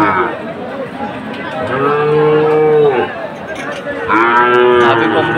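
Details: Sahiwal bull lowing at a Chattogram cattle market in Bangladesh in September 2024: two sustained, steady, tonal moos of about one second each, separated by a pause, over faint crowd noise.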